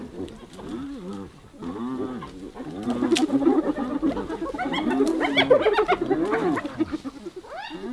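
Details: A hyena under attack from others: rapid, overlapping groans and giggle-like cries build from moderate to loud, with higher squealing notes midway and a sharp rising yelp at the end.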